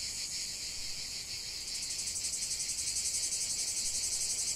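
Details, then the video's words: Cicadas singing in nature, a dense high shrill buzzing chorus that swells after a couple of seconds into a louder, rapidly pulsing drone, throbbing several times a second, with no other clear sounds. "45 min de chant des cigales"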